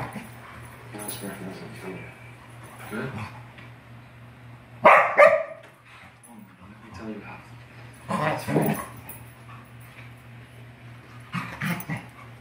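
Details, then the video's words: Two English Springer Spaniels, Jerry and Scarlett, play-wrestling at home: scattered loud, harsh barks spaced a few seconds apart, with quieter growly noises and conversation between them and a constant low hum in the background. "Springer Spaniel Wrestling!"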